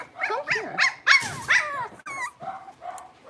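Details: Blenheim Cavalier King Charles Spaniel puppies, a litter of five born at New Year, moving to a bigger pen, giving high, quick yelping barks and whiny sliding yips, several in rapid succession, then softer whimpers.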